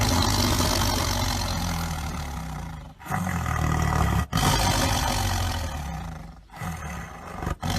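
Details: Tiger (Panthera tigris) with a drawn-out, throaty roar, then shorter deep growling roars, separated by abrupt silent cuts.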